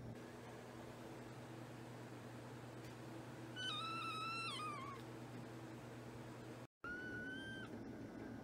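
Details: A kitten makes two meows: a long, drawn-out cry that slowly falls in pitch, then after a pause a shorter, steadier one. A low electrical hum runs underneath.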